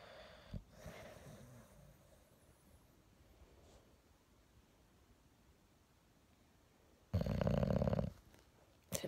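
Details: Morning wake-up with an English Bulldog, heard as one loud, rough, deep snore lasting nearly a second near the end, after soft breathing and faint rustles, with a sharp click at the very end.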